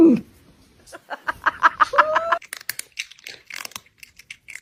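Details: Indoor domestic cat giving spacey, strange sounds: a low opening squeak, then a fast stuttering run of short chirps with a thin sustained whine over them, fading into softer crackling clicks.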